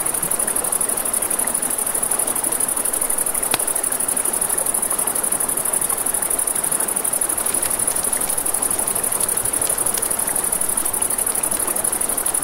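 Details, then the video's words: A continuous high cricket trill rings through a nighttime riverbank scene, steady from start to end, with a broad rush of river water and occasional loud pops from a burning campfire. "Crackling Fire, Crickets, Ambient Nature Sounds"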